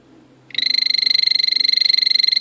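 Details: A male azureus, the blue poison dart frog, gives a fast pulsed buzzing trill that starts abruptly and continues steadily at a high pitch.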